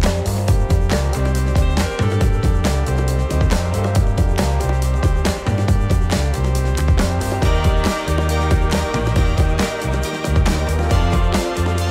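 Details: Energetic soundtrack music with a driving beat, guitar and dense instrumentation throughout, and no animal sounds.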